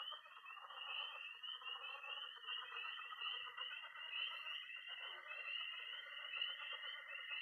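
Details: Early spring night at a Missouri pond, with peeping tree frogs, trilling toads and croaking frogs: a shrill unbroken peeping wall, a level high trill, and dense pulsed croaks throughout.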